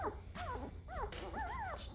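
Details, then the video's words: Squeaky cries from five-day-old Great Bernese pups, born to Great Pyrenees Lacey by Bernese Mountain Dog Castle: wavering, bending whines that climb and dip, several overlapping in two seconds, with brief rustles. "Great Bernese Puppies are 5 days old and getting noisy!"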